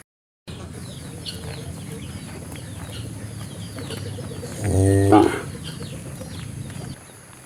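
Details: Cow giving one brief harmonic moo midway, set against a low steady rumble with faint higher background sounds.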